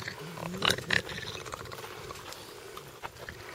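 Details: Seven rescued bat-eared foxes in a semi-release camp near Ladismith, South Africa, growl at a dog by the gate during an evening feed on April 13, 2020. Harsh raspy bursts peak near the start, then softer scratchy grumbles continue.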